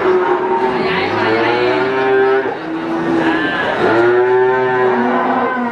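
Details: At the Wagenan cattle market in Pati, cattle give loud, drawn-out moos, one falling away near the middle and another swelling up near the end, with market voices murmuring beneath.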